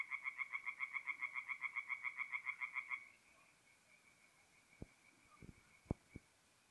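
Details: Tree frogs calling at night from a forest pond in north-east Italy in mid-April: a rapid run of evenly spaced nasal pulses for three seconds, about three or four a second, then faint distant calling and a few sharp clicks.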